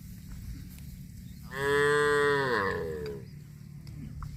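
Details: Cow mooing while eating grass: a strong, drawn-out moo lasting nearly two seconds, harmonic and steady before dropping in pitch and fading, with low constant background noise.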